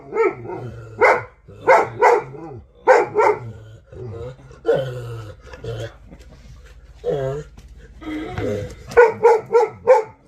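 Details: Alabai called Vasya barking noisily: clipped barks, single or doubled, come roughly every half second, then a stretch of lower, moaning, wavering vocal sounds mixed with human talk, before a final rapid run of four barks.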